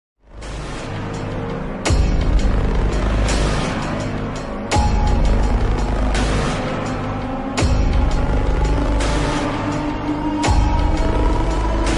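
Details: Loud, bass-heavy music with sharp booming hits every few seconds; no animal voice can be picked out.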